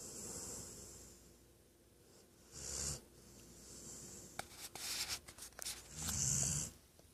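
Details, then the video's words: Female Weimaraner asleep during a nap, softer airy snores with a hissy texture, one brief and one longer rumbling breath, plus faint clicks and rustles nearby. "My Weimaraner snoring like an old man"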